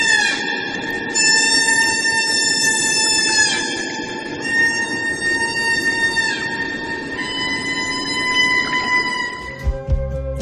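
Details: Male humpback whale song, sung to attract females during breeding season: sustained high-pitched harmonic tones in several drawn-out phrases with gliding breaks between them, and music entering near the end.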